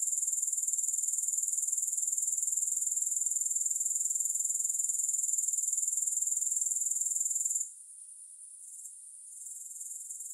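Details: Grasshoppers recorded for relaxation and sleep, no music: a loud, even, high shimmering trill for most of the stretch, then abruptly fading to a much quieter, broken buzz toward the end.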